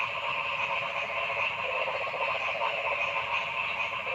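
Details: Forest frog chorus: many frogs croaking at once in a thick, unbroken wall of rapid pulsed calls at mid and high pitch, with rattling trills standing out now and then.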